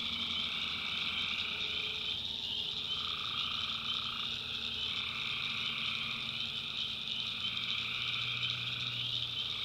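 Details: Tree frogs calling after dark in the backwoods of North Carolina, a constant shrill trilling chorus over shifting lower croaks, with a faint low hum near the end.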